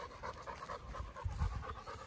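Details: Chocolate Labrador Retriever named Bear on a Sunday morning walk, panting in quick soft breathy pulses with a faint low rumble of wind or handling underneath.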